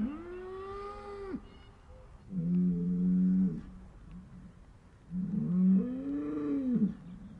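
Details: Three mournful moos from upset cows, each a deep, steady drone lasting one to two seconds, the last one ending in a downward sag, with brief lulls between calls.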